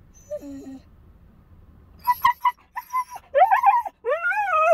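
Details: Siberian Husky puppy left alone in a car, whining and howling for the few minutes it is alone: a short early whimper, then a run of yelps and rising, drawn-out wavering howls toward the end.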